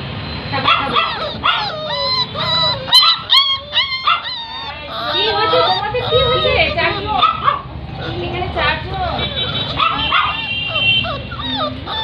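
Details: Labrador Retriever puppies in Barrackpore, West Bengal, giving a run of short high whimpers and yips that rise and fall, some in quick clusters, with people talking in Bengali over much of it.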